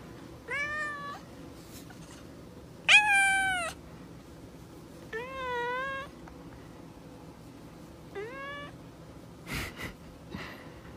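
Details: Domestic cat indoors, reacting to food; four drawn-out, wavering meows spaced one to three seconds apart, the second loudest and most strained, with a few brief clicks and knocks near the end.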